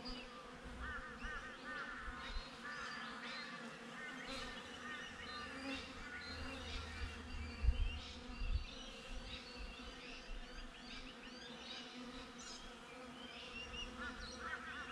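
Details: A hive of honey bees heard from a GoPro mounted outside: a constant humming drone, birds chirping in short repeated phrases throughout, and occasional soft wind thumps around the middle.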